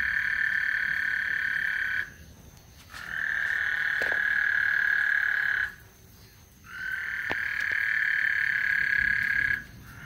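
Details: Frogs singing on Lake Houston before a thunderstorm: a dense, high trilling chorus pours out in sustained bursts of two to four seconds, broken by brief near-silent gaps, with a faint steady high hiss behind.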